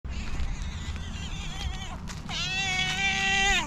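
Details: Loud meowing from a calico cat described as very jealous, keeping other cats away from her owner; a long, drawn-out harmonic-rich meow rises then holds, following earlier softer wavering cries, over low rumbling background noise.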